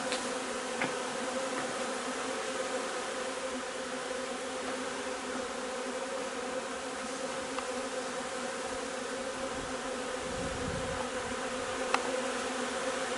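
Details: Honey bees in their hive while gathering linden nectar, 3 June, make a continuous, even, many-layered droning hum; a few short clicks and a brief low rumble stand out over the buzz.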